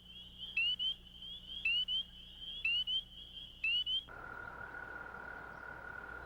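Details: At a vernal pond, male spring peepers, whose mating call carries half a mile, give sharp, high, upslurred peeps about once a second over a shrill chorus; near the end a long, steady, lower trill from another frog or toad takes over.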